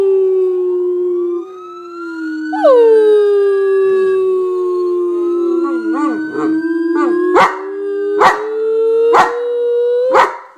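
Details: Singing pet dog giving a long, slightly wavering howl that slides down and then rises, followed by sharp rhythmic bark-like bursts about a second apart while the howl continues.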